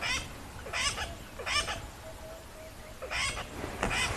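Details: Tree squirrel in the Lowveld of South Africa, Rietspruit Game Reserve, very worked-up and alarm calling with maximum effort at sunset, tail flicking; harsh broadband chattering bursts repeated roughly every 0.7 seconds, with faint background noise.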